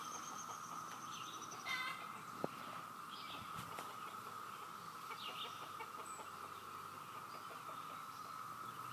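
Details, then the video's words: Cicadas droning in a steady, waterfall-like chorus, a constant mid-pitched hum throughout, with brief chirps and calls from birds in the background and a short click near the middle. "Cicada sound"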